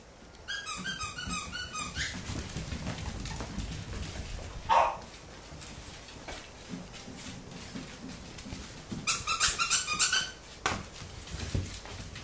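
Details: Welsh Corgi puppies chewing on a finger indoors, recorded 3 August 2013: two bursts of high, thin squeaks, the first lasting about a second and a half, the second about a second, with soft rustling and mouthing noises between.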